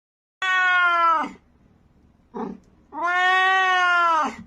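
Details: Domestic cat gives two long, loud, steady meows, each lasting about a second, separated by a brief soft muffled sound in a quiet room.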